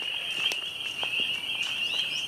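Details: A dense chorus of thousands of spring peepers at a vernal pool before dark blends into a steady, shrill high ringing, with a few separate rising peeps standing out near the end.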